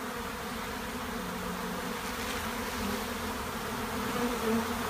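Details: Honey bee swarm at a monastery apiary, a dense steady buzzing hum with many overlapping wingbeats holding an even drone throughout, slightly swelling toward the end.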